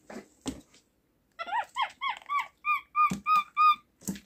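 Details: Home-kept little capuchin monkey "talking" with its communicative sounds: after a couple of clicks, a run of about ten rhythmic squeaks, first arched then flat and tonal, roughly three per second, indoors.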